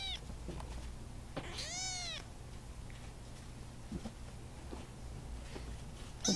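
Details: A single young kitten, one of mostly Russian Blue kittens being socialized by a volunteer, gives one clear, rising-then-falling meow in a quiet room, with faint rustles and a low hum around it.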